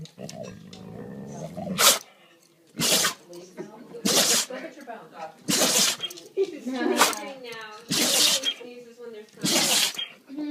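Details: A dog caught in a sneeze attack: about seven sharp, hissing sneezes burst out roughly every one to two seconds, with a person talking and cooing between them.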